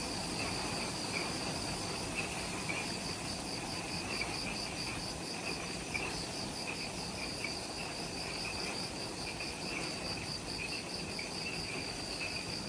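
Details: Twilight insect chorus in forest at the Mount Omoto trailhead on Ishigaki Island, Okinawa, Japan, just after sunset: rapid beaded high trills, a lower pulsing band beneath, over continuous low broadband noise.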